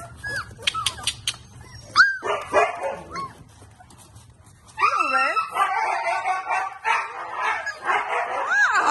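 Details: Siberian Husky puppies in a basket whine and yip in high, arching squeals, several voices overlapping.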